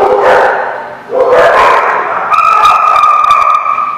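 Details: Dogs recorded on 13 October 2017: two rough, broad bark bursts in the first second and a half, followed by a steady, high, whine-like tone with clear overtones over constant background noise.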